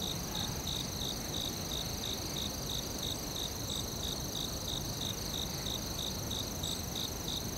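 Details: In a forest, crickets repeat short bright chirps at a regular pace near three per second, layered on a steady shrill drone and dense low rumble.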